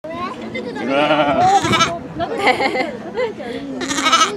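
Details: A black lamb born 21 May, filmed in June 2017 at Chiba Zoological Park, Japan, gives wavering, quavering bleats while being held, with people's voices nearby.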